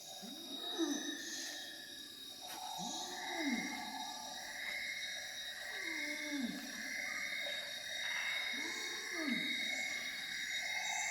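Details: Wild gibbon in primary rainforest of Semenggoh Nature Reserve near Kuching, Borneo, at 07:58 in the morning; family pair's duet, locally called wak wak. Arching hooted notes repeat roughly every two and a half seconds over a steady insect drone.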